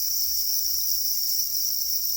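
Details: A constant shrill ringing from black crickets said to be crying angrily over their eggs, an unbroken high trill holding a level pitch, with a soft low rumble underneath.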